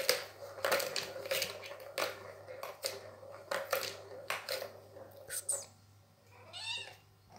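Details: A Scottish Fold cat gives a short, rising-and-falling meow during playtime, amid clatter and rustling indoors.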